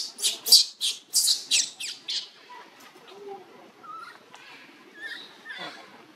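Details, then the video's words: Tiny newborn monkey Luno, living around a temple in Cambodia, crying to call its mother: a rapid burst of about eight shrill, high squeals in the first two seconds, then fainter scattered chirps and soft background noise. "HER baby tiny newborn monkey Luno c-rying to call Mommy"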